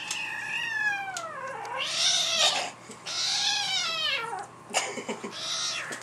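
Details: Black-and-white house cat indoors, hostile toward her black kitten just returned home after living elsewhere; drawn-out, wavering yowls that arch up and down, nearly continuous, with a brief gap and short sharp sounds near the end.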